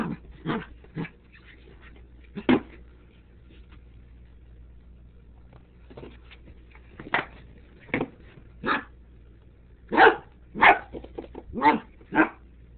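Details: A dog named Tobi reacting to a Sriracha bottle, giving short sharp barks and whimpery yelps in irregular bursts, clustered near the start and again toward the end with quiet gaps between.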